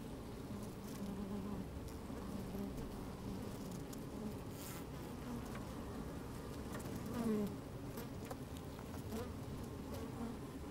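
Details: Inside an opened beehive on a sunny, slightly windy day, honey bees moving about and working; continuous low droning hum with a short rising buzz near the middle and light scratchy ticks.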